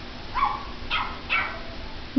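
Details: Small Pomeranian dog yapping at a computer: three quick high barks roughly half a second apart, then a short thump at the end, over a quiet electrical hum.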